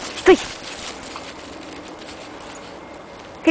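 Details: Norwich Terrier playing in the snow on a winter walk, giving two short, high, arched yelps about three seconds apart over quiet outdoor background, with a person calling to the dog in Russian nearby.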